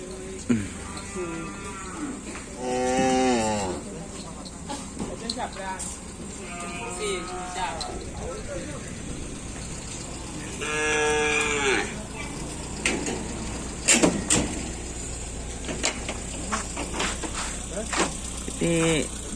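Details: Cattle at a karapan sapi bull-racing training session at the Tempuran field in Java. Several drawn-out, harmonic moos with wavering pitch come about every four seconds, over a constant noisy crowd background with clattering and bursts of noise.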